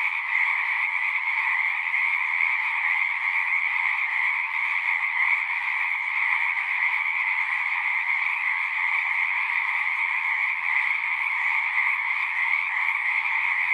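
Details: Unbroken frog chorus: countless singing frogs produce a thick, even trilling drone in two strong pitch bands, while faint low murmurs sit underneath near the end.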